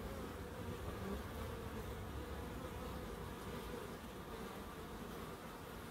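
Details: Bees in a small wildlife garden in Crookes with bird boxes and a pond: a steady, continuous low drone humming without a break, with a faint broad rustle underneath.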